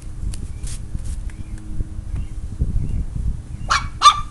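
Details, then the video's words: A Chihuahua named Lily barks at a pet turtle named Bubba as she discovers it. Two short, sharp barks come near the end, over a low rumbling background. "My chihuahua discovering my turtle"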